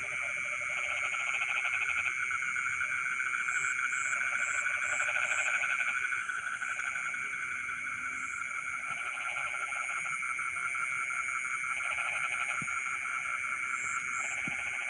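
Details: Rice-field frogs at midnight keep up rattling, pulsed croaks in overlapping bouts lasting a few seconds each, with a steady ringing insect drone and brief high-pitched insect beeps throughout.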